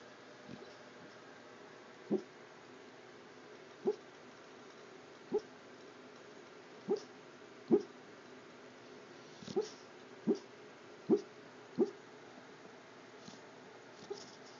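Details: Domestic dog barking in his sleep while sound asleep indoors; soft, muffled short woofs and yips, about a dozen spaced one to two seconds apart, quiet against a faint hiss.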